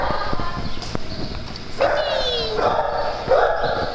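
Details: Dogs at playtime on a farm, giving a drawn-out falling whine followed by sharp harmonic barks and yips, over constant low background noise with scattered clicks.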